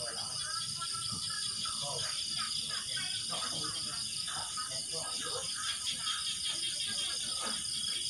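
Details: In the evening after dark by rural Thai rice paddies, a chorus of small paddy frogs gives short, repeated croaks tumbling over one another several times a second, with a constant high insect buzz and a man's voice.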